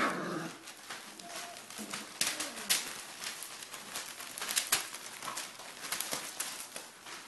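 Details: Pyrenean Mastiff puppies, three and a half weeks old, of the Querida de la Tierra Alta litter, giving brief high whimpers and squeaks, a soft whine opening the sequence, amid frequent sharp clicks and tapping noises indoors.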